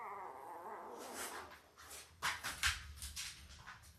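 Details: Labrador Retriever puppies, five days old, from Belle's Christmas litter of five males and three females: a steady, high whine in the first second, then rustling and short scratchy bumps from the litter.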